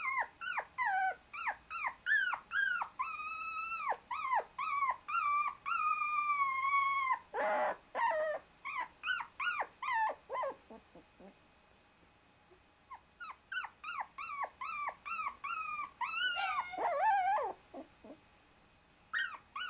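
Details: Pinned under his two little sisters, a 24-day-old Shiba Inu puppy fights to get out, giving rapid, insistent high whines with a brief rustling burst midway, a short lull, then more squeals and a final long quavering whine.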